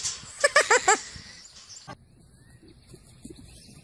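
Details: Fainting goat kids, with a person urging them to get up, give a quick burst of four short, stuttering harmonic bleats, then quiet rustling and faint background noise.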